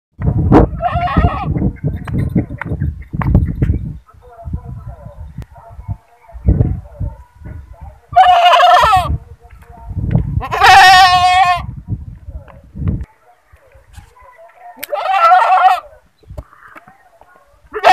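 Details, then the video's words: Goat screaming with 'ba ba' cries: three loud, wavering, harmonic screams of about a second each, spaced a few seconds apart, between thumps and knocking noises and some faint background voices. "Goat ba ba sounds//Goat screaming//Voice of goat//"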